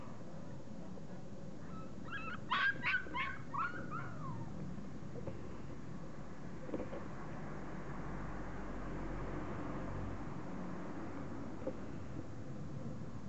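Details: Puppies aged 40 days let out a quick cluster of high yips and whines around the third second, then fall quiet, leaving only a low background rumble and hum.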